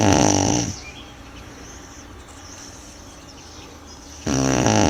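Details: Sleeping Tibetan Mastiff (do-khyi) called Manjurhi snoring: a rough rattling breath at the start, about four seconds of near quiet, then another harsh buzzy snore begins.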